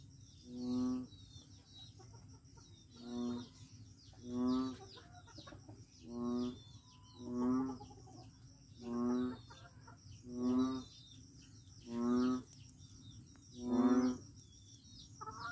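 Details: Ten deep, reedy, nasal calls from a noisy frog in Daanbantayan, Cebu, delivered in a steady series about every one and a half seconds, against continuous high-pitched insect trilling.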